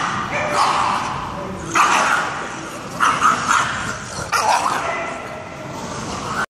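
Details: Staffordshire Bull Terrier Boom at tug-of-war play with Zoom, his 12-week-old daughter; four loud, ringing barks come about once every 1.3 seconds, separated by scuffling and a noisy background.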